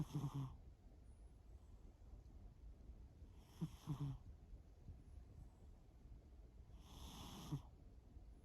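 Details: Pet cat Shimao sleeping and snoring: three breathy, wheezy snores roughly every three and a half seconds, soft rasping tones under airy noise, the middle one broken into two quick pulses.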